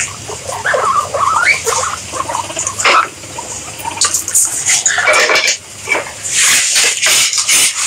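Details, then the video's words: Guinea pig squeals, high and harmonic, several rising and wavering squeaks in the first seconds followed by sharper chirps and a noisy, hissing stretch near the end. "Guinea Pigs Sound"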